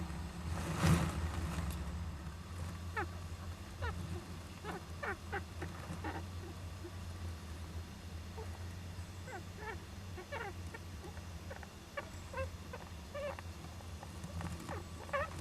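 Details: Young Japanese giant flying squirrel inside an owl nest box, 19 July 2010: scattered short chirping notes, some sliding upward, spaced irregularly over a steady low hum.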